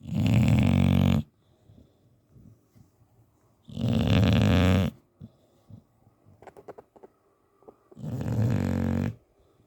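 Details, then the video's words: English Bulldog Teddy asleep and snoring hard: three loud, harsh, buzzing snores of about a second each, coming roughly every four seconds, with soft snuffles and small mouth clicks in the pauses. "Bulldog Snoring"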